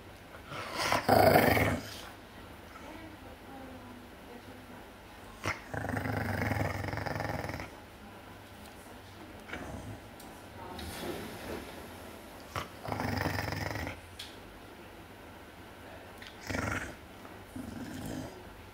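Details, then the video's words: A larger dog guarding its bone from a smaller dog, growling in repeated low rumbling bursts of one to two seconds, some rising into snarls, separated by short quiet gaps, indoors. "It's My Bone Grrrrrrrrrr"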